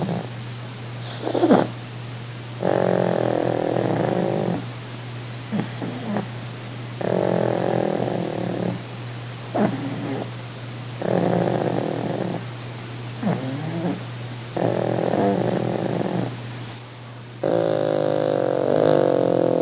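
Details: Pug named Sid relaxing on his holiday gives exaggerated purring: rough, buzzy rumbling stretches of one to two seconds alternating with brief pauses and soft breaths, in a steady breathing rhythm.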